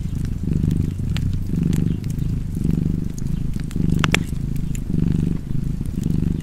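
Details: Purring domestic cat, a rich low rumble repeating in slow inhale-exhale swells roughly every second, accompanied by intermittent sharp crackling from a nearby fireplace.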